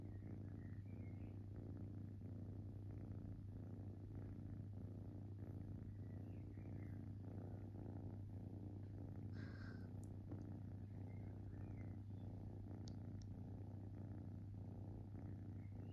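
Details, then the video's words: Relaxed kitten purring softly, a low pulsing rattle over a steady background hum, with faint light chirpy ticks and a small clicking noise near the tenth second. "Cute Kitten Purring"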